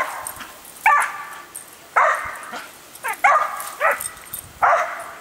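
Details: Calm, sweet female dog that rarely barks, excited by a hose sprayer at watering time: short high yapping barks about every second, several in quick pairs, against the hiss of running water.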